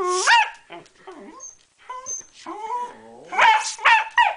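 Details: A corgi, a female, attacks a bicycle pump, giving excited, whiny growls that rise and fall in pitch, ending in louder harsh yelps.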